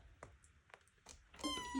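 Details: Ornery foster kitten, a domestic cat, indoors while trying to climb up high: a few taps and knocks, then a loud sustained meow with strong harmonics starts near the end and continues to the cutoff.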